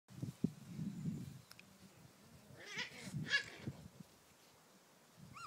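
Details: Five-week-old Bouvier des Flandres puppies, offspring of Piranha and Ozzy, playing with their mother in a garden; low grumbling growls in short bursts, then a few brief higher yelps midway and faint chirps near the end.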